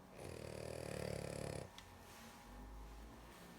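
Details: Sleepy female dog giving one long, buzzing snore of about a second and a half, followed by soft breathing and a brief rustle.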